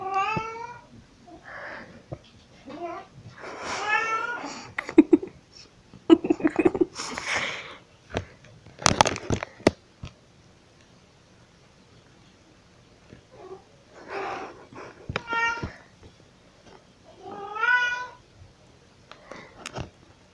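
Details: Pixie, a vocal house cat, meows while carrying cat toys around: bursts of harmonic meows early on and again near the end, separated by clattering knocks and thumps in a small room.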